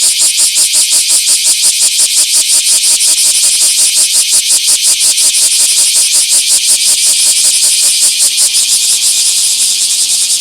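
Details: Bear cicada singing in a small park on 24 July 2026: loud, harsh buzzing pulses repeated about three times per second, steady and rhythmic throughout, filling the high range.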